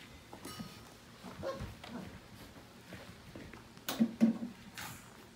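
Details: Portuguese Water Dog pups, about five weeks old, from the Libby x Nash litter, at play indoors in the morning. Low grunting whimpers come near the end, with thumps and scuffling of movement.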